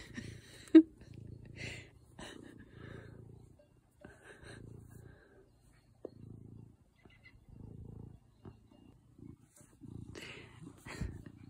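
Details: Low rhythmic purring from a cat met in the Swiss Alps, pulsing in short bursts roughly once a second, broken by sharp clicks and a loud tap near the start.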